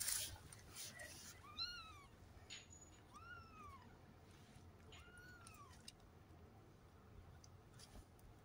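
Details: A three-week-old Maine Coon cross kitten gives three thin, high mews that rise and fall in an arch.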